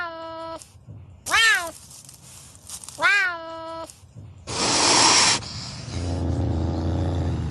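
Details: Pampas cat from Argentina: two drawn-out, arching meow-like calls with rich harmonics about two seconds apart, followed by a sharp breathy hiss-like burst and low rustling noise.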